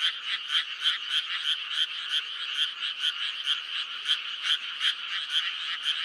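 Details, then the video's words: Frogs in May form a thick calling chorus, sharp croaking pulses repeating several times a second over a continuous hum of many voices. "5월의 개구리 울음소리"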